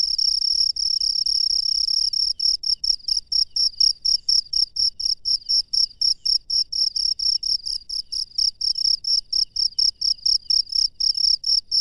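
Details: Wild cricket chirping at night, a near-continuous high trill at first that breaks into rapid evenly spaced chirps, steady and loud throughout, with quiet surroundings.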